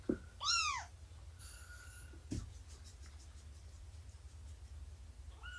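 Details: Morning nursing and playtime indoors, 24 September 2017, with Shelby, an estimated two-year-old formerly abandoned cat, and her kittens of about three months. One loud, bright, arched meow opens the clip. A quieter, shorter one follows near the end, over low room hum.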